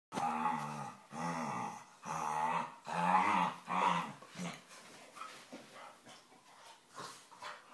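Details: Staffordshire bull terriers wrestling and play fighting indoors, making funny noises: a run of harmonic, throaty growls in bursts about every second, softening into quieter whines and grumbles toward the end.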